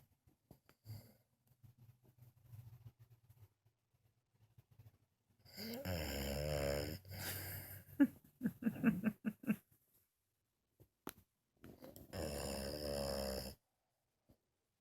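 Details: A sleeping female French Bulldog snores in loud, rasping, rattling bursts separated by quiet pauses; she also farted during the recording.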